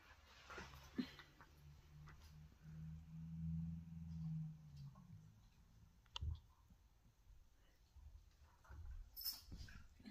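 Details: Excited whippet giving a low, steady rumbling growl-like whine lasting about three seconds, then a few soft clicks and rustles with a brief high squeak near the end; quiet indoor setting.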